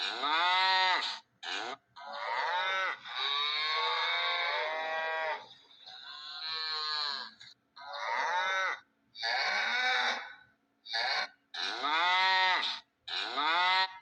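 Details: Cow mooing loudly in long drawn bellows, harmonic-rich calls lasting one to three seconds with short gaps between, repeated about eight times, no other sounds.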